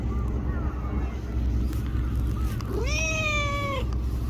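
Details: Small black-and-brown tortoiseshell stray cat in Japan, sitting beside someone and being petted, gives a single drawn-out, level meow near the end, over a steady low rumble of background noise.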